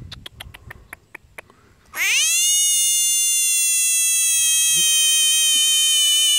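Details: A frog kept as a pet gives a loud, nasal, richly harmonic tone that sweeps sharply upward and then holds steady for over four seconds, after a run of quick, sharp clicks.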